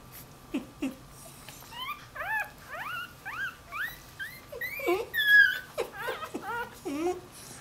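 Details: Newborn Dachshund x Jack Russell Terrier puppy that has wandered from its mother, whining for her: a run of high, thin, arched whines, some rising then falling, in quick uneven bursts, growing louder toward the middle, with a steady faint hum behind.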